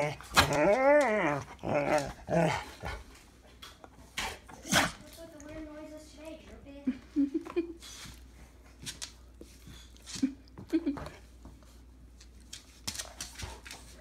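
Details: Pet dog that its owner says sounds like a moose: a loud, drawn-out, wavering moan rich in harmonics, rising and falling over the first three seconds, followed by quieter short grunts and faint human voices.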